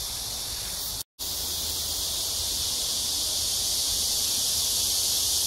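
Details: Early-evening cicada chorus in summer at Amsa Ecological Park beside the Han River in Seoul, South Korea, 26 July 2021; a shrill, continuous hissing drone with one brief dropout to silence near the one-second mark.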